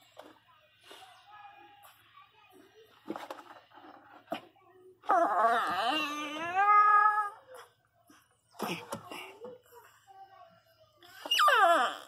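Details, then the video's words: Pinscher named Teco crying loudly in pain while giving birth indoors; long wavering wailing cries with rich harmonics, rising and falling, in bursts separated by quieter whimpers and faint background sounds. "A riqueza sentindo dor chorando alto começou ganhar filhote a parto de cachorro"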